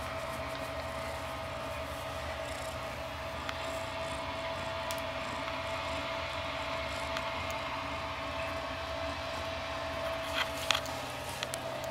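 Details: A steady mechanical drone with a constant mid-pitched tone and low rumble, like a running engine, plus a couple of faint knocks.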